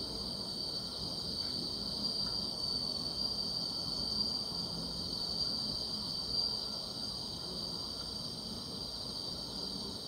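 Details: Summer-night grass insects in a dense continuous chorus: a high, even, ringing whine that never pauses, with a thinner band above it, and soft low background noise throughout.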